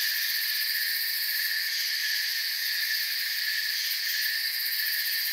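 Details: Crickets in a forest, a dense, continuous high chirping chorus forming steady bands of sound with no pauses, with a soft hiss underneath and no other clear voices.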